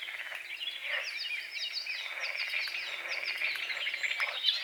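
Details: Dawn frog chorus over a small forest-edge lake with morning fog: ratcheting croak trains swell near the start and again near the end, woven through busy high chirping and warbling of many birds.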